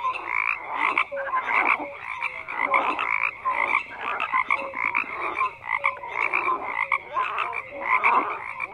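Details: Numerous frogs croak in a full chorus, pulsed raspy calls surging roughly every second, interleaved with short tonal notes and clicking bursts, forming an unbroken wall of sound.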